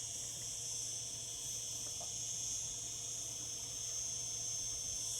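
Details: Cicadas in summer produce an unbroken, piercing high buzz, an even metallic drone with no gaps and no other clear sounds.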